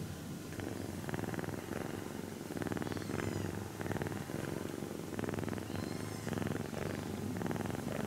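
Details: Sleeping kitten purring under gentle touches that try not to wake her: a dense, buzzing low purr with rhythmic breath cycles, accompanied by light scratchy strokes and soft fabric rustle.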